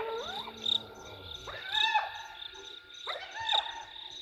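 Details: Excited hyenas at the Gowrie dam waterhole in Djuma Game Reserve, Sabi Sand, South Africa, 15 November 2023, live camera. Three bursts of upward-sweeping whoop-like cries about a second apart, with insects trilling constantly behind.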